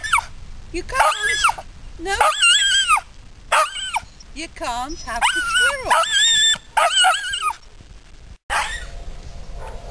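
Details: {'caption': 'Polish Lowland Sheepdog screams at a squirrel alongside a Flat Coated Retriever: a string of piercing, arching yelps and whining cries, some with fast wobbling pitch, coming in short bursts with brief gaps.'}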